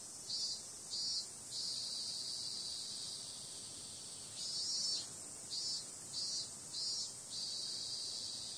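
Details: Night-time cicada chorus in summer, a constant shrill, hissing drone overlaid by bursts of louder throbbing pulses, several rapid swells grouped together, then a calmer stretch before the next run.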